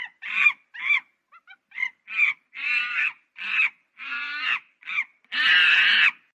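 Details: Monkey giving a run of about nine harsh, raspy screeches of varying length, with short squeaks between them and a longer drawn-out scream at the end.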